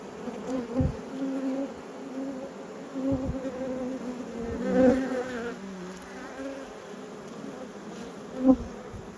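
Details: Apiary honey bees humming steadily while hives are opened for inspection; the low buzz swells and fades gently, with occasional thuds and taps of frames scattered through.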